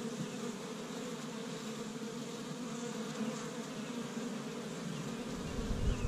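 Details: Many honey bees humming around an established Michigan hive on a warm spring day as they collect tree-bud pollen; an even, low buzzing swarm sound holds throughout, with a brief rumble of wind or handling near the end.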